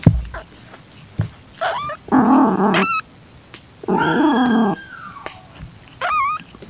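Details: Calitabby cat in heat with a calico kitten, 8 September 2021 at 6:30 PM. Two long, low, moaning yowls with rich harmonics, each close to a second long, then a short, high, wavering kitten mew near the end.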